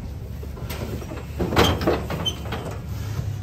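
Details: Low rumbling engine noise with a few clattering knocks, like a truck or sliding door, and no animal voice.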